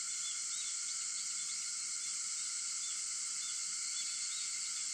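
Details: Dense, sleep-inducing cicada song recorded 4 August at 4:50 am: a constant high hiss with banded lower tones and a handful of brief chirps.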